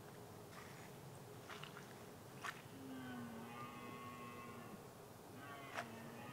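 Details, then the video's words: Lone red deer stag roaring on a heath in late afternoon during the rut to intimidate rivals: a drawn-out, even, moaning tone of about two seconds, then a shorter second roar, over steady wind rush and scattered clicks. "Red Deer Stag - Loudly Roaring to intimidate his Rivals!"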